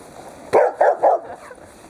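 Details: Pet dog, either a Dobermann or a Rottweiler, playing with its owner while the Dobermann tugs on a scarf; three short, gruff barks in quick succession, under half a second apart, then quiet.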